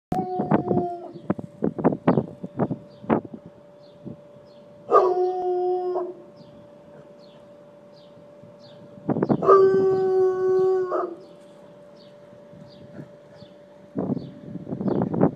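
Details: An 11-month-old Bloodhound, nervous about the neighbours' party preparations, bays at them: quick barks, then long, mournful, harmonic bays lasting over a second each.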